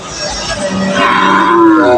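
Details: Bulls being unloaded from a truck at Putia market in Bangladesh for sale: a rising, tonal moo emerges in the second half over crowd chatter and market noise.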